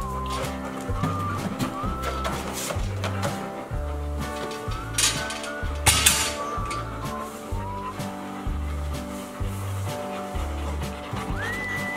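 Rhythmic music with a heavy repeating bass beat and swooping synth tones, with no animal voice.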